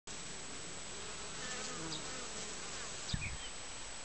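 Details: Honey bees entering their hive on 20 June, arriving with loads of many different colours; a steady, dense hum of wingbeats with a faint low droning tone and a brief thump near the end.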